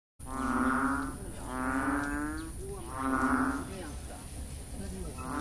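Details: Frogs found just before 9 am along the main axis of Sun Yat-sen University in Guangzhou, giving three drawn-out, nasal, moo-like calls, each about a second long with a rich buzzy tone, spaced roughly a second and a half apart.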